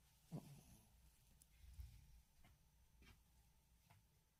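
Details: Tory, a pet Yorkshire Terrier, snores while tired, a snore said to grow louder than a person's: a short low snort near the start, a deeper rumbling breath midway, then faint soft puffs in a quiet room.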